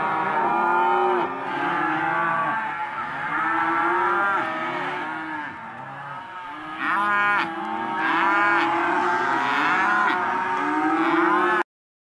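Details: Hereford and Careta calves, young males and females penned together at a cattle auction, a dense chorus of long bawling moos from many animals overlapping, wavering harmonic cries rising and falling, continuing without pause until an abrupt end.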